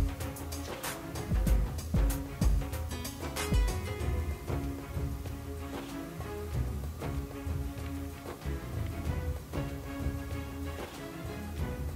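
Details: Upbeat background music with steady percussion plays throughout, with no animal sounds heard.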